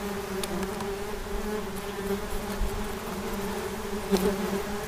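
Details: A continuous droning hum from wasps, low and even, with strong overtones above the main tone. The pitch wavers slightly, and a short louder swell comes near the end.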